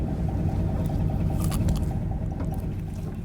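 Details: Brown croaker off Imja Island, Korea, in the July–August spawning season, inflating its swim bladder to make deep, rapid, pulsing croaks very like frogs. Fishermen locate the fish by listening through a long bamboo pole.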